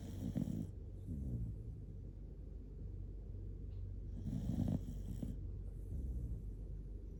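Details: A sleepy Shiba Inu, Kotetsu, dozes cuddled close and gives heavy, loud snores: rough, throaty low rumbles in two main bursts, near the start and around the middle, over steady quiet breathing indoors.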